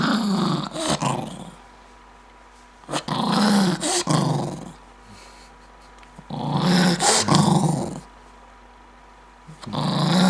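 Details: Maltese dog getting angry and snapping fast in a small room: loud, raspy growls come in long bursts roughly every three seconds, broken by short sharp snaps, with silence between outbursts.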